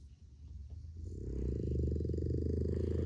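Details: Four sleeping Boston Terriers snore on a rainy, dark day, a low, rumbling, rattling drone that swells and holds steady.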